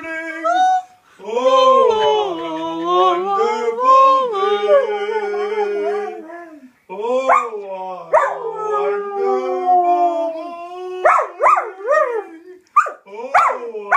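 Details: Ziggy the Samoyed howls along with an advert song he always listens for. Long, sustained, wavering howls break off after a pause and return as shorter, rising yips and yelps.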